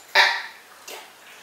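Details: Dina, a 2½-year-old female mix of Nova Scotia Duck Tolling Retriever and Rottweiler, gives one short, sharp bark with a bright harmonic ring. A fainter, softer sound follows, then quiet.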